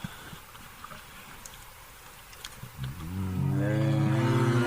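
A bear's deep, harmonic roar swells up after a few quiet seconds of low background rumble.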